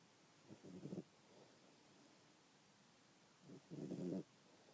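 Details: Dante, a house cat, snoring heavily while asleep, likened to an old man with sleep apnea; two rough, buzzing, low snores roughly three seconds apart, the second louder, over a steady quiet background.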